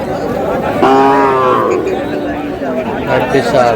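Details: Cows at the Aftabganj cattle market on 11 July, with lean milch cows up for sale; one lows with a flat, drawn-out moo beneath steady crowd chatter and men haggling over prices.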